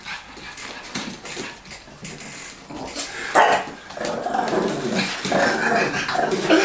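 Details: Lilly growls in play, trying to wrest a ball from her owner while the older, larger Tomy interferes. The growling starts quietly, then swells into a steady, grainy rumble over the final seconds, mixed with scuffling.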